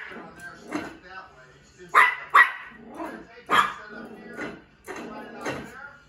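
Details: A one-year-old female Yorkshire Terrier playing with a bowl gives short, sharp yipping barks in irregular bursts, two close together near the middle, about seven in six seconds, with human speech underneath.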